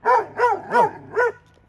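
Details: Dogs in Alabama, two of them, barking: four evenly spaced, rich harmonic barks about every third of a second, then quiet, over a faint steady low hum.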